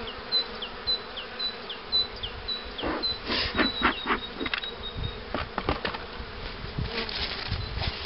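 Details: Honey bee colony droning at hives readied for queen rearing with the Cupularve method; a sustained hum broken by sharp clicks and knocks, with a run of quick, high bird chirps at the start.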